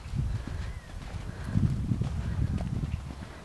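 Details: Teddy, a Large Welsh Pony gelding foaled in 2003, ridden by a youth rider new to him and pushed from canter toward a hand gallop: deep, dull hoof thuds pounding in quick rhythm, with an instructor's voice and outdoor rumble.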